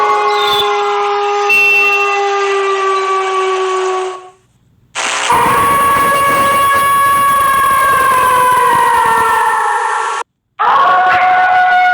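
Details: Long, steady horn-like tones rich in overtones sound in separate blasts, one held flat and another sliding slowly downward. No animal voice is heard.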